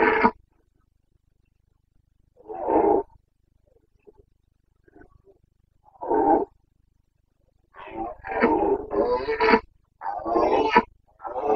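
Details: Boncănit, the breeding-season roar of a wild Carpathian stag in the forests of Bucovina, recorded 29 September 2022. Single hoarse roars come first, then a run of rough, throaty bellows in close succession near the end.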